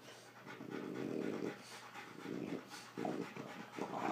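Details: A Rottweiler and a female French Bulldog playing together indoors, the small bulldog dominating the far larger Rottweiler; low, rough, noisy growls in bursts of about one second, repeated with short pauses, over quiet breathing.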